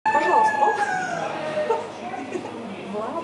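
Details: Seal held at a quarantine centre giving a loud, drawn-out tonal wail that starts high and slides gradually downward with rich harmonics, followed by quieter, shorter wavering cries.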